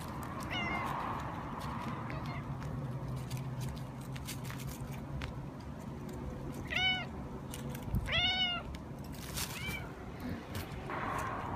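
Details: Siamese cat meowing while enjoying a belly rub: a few short, clear meows with arched pitch, spaced a second or two apart, over a steady low background hum and rustling.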